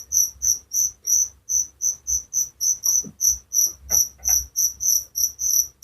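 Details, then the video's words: Rapid, even chirping of crickets, bright high-pitched pulses about three per second, with a few faint, short lower sounds in the background. "Suara Jangkrik penghantar tidur || Relaxing sound of crickers"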